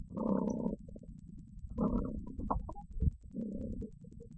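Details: Female pet cat vocalizing while being caressed, which she enjoys: three drawn-out, rough, murmuring calls at roughly one-and-a-half-second intervals, with short chirps between them and a faint steady high tone throughout.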